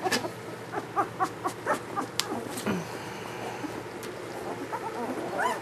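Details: Squeaky cries from newborn German Shepherd puppies of Ulra's first litter: a quick run of short, high whimpers, then scattered fainter squeaks, with sharp knocks and low room noise.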